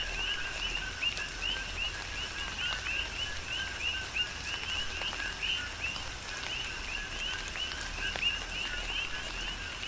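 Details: Coqui frogs chorus during a tropical rain shower on the Big Island of Hawaii, many overlapping two-part chirps repeating steadily, each a lower note leaping to a higher one, with raindrops pattering and dripping throughout.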